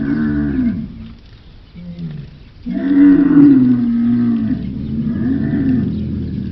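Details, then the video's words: Camels roaring: a gurgling groan fades into a low lull, then a loud, sustained bellow rises and wavers for several seconds, ending in a lower rumbling moan. "the sound of a camel,звук верблюда"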